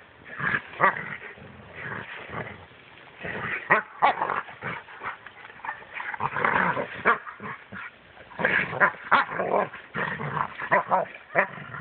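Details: Rhodesian Ridgebacks in Mombasa, phone recording: rapid irregular bursts of rough barking and growly vocal sounds, closely packed through the clip with short quiet gaps between volleys.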